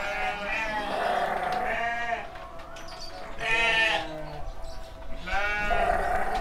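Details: Young rams, seven months old, loaded for transport on a farm in Kediri, Indonesia: three loud, quavering harmonic bleats, roughly two seconds apart, over people's voices and clattering.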